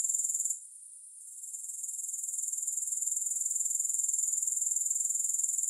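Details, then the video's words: Grasshoppers in a continuous high-pitched shrill trill, steady and rapidly pulsed, with a brief dip in loudness near the start before the even chirring resumes; no music or other sounds. "3 Hours of Grass Hopper Sounds"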